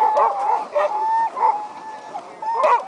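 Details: Sled dogs at a race, about an hour before the start, howl in long, steady, mid-pitched tones broken by sharp yips and barks, excited about racing.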